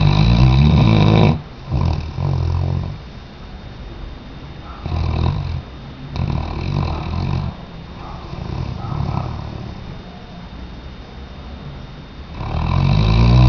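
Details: Weimaraner dog snoring while asleep: deep, rumbling low snores in bursts at the start and end, with softer, breathy rasping between them.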